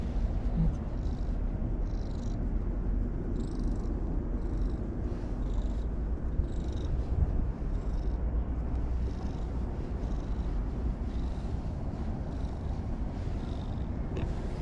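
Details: Continuous deep purring from a brown-and-white stray cat at a lake shore, even and low throughout, with light rhythmic breaths about every second and no other clear sounds.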